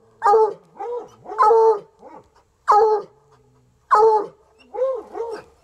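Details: A pair of untrained coonhounds, Sunny and Hazard, persist outdoors at a rural home. Four loud, resonant bays are spaced about a second apart, each trailed by softer, arching, yodel-like howls.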